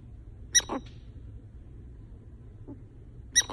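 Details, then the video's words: A sleeping pet prairie dog, female, snoring loudly or talking in her sleep. She gives two sharp, high squeaky chirps, each followed by a softer rasp, about three seconds apart, with a faint squeak between them. "Awesome Loud Snoring Prairie Dog"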